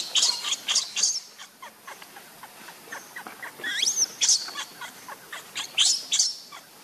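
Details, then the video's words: Hungry baby monkey Lucie, wanting milk, gives piercing high-pitched squeals and short chirps in quick uneven bursts, including one rising, looping cry near the middle, over faint background rustle. "Lucie Very Pitiful Need Milk Crying foaming At The Mouth I Lovely Baby Monkey"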